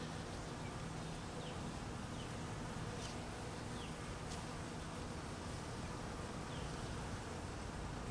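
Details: Hungry honey bees being fed in cold weather give a steady, dense buzzing hum, strongest low down with faint tonal bands, unbroken across the whole stretch, with a few soft clicks above.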